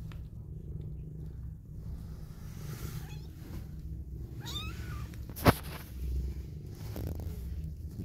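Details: Deep continuous purring from a mother cat cuddling her newborn kittens, with a few thin high kitten squeaks and one sharp click partway through.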